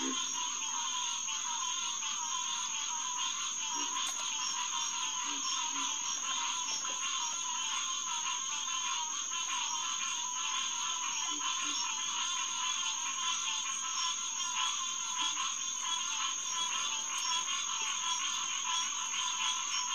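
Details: Green tree frogs (Hyla cinerea) chorusing at Headquarters Pond, SMNWR, 9:10pm on June 2, 2021: a dense, unbroken wall of rapid nasal calls from many frogs, with occasional faint low croaks beneath.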